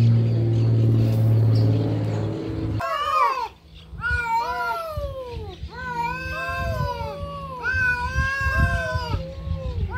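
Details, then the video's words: Fighting cats: after a loud low rumble of engine-like noise in the first seconds, a sequence of wavering, arching yowls begins, repeated about twice a second in uneven bursts, with thumps and scuffling underneath. "GATOS BRIGANDO"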